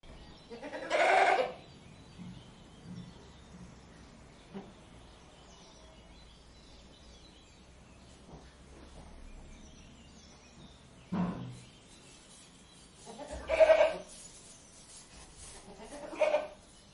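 A goat gives several loud, wavering bleats spaced apart by quiet stretches.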